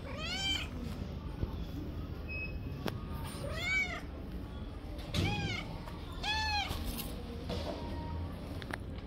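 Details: Stray tabby cat living on the street gives three clear, drawn-out meows, each rising then falling, spaced a few seconds apart, with a shorter, rougher cry between them over steady low background rumble.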